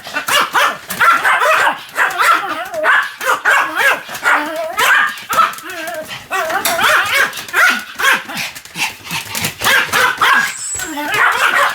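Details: Pomeranian Sam, spinning fast around 175 times on 1 November 2015, keeps up a long volley of shrill, excited yaps with sliding pitch, bursts of several barks broken by short gaps, then human exclamations.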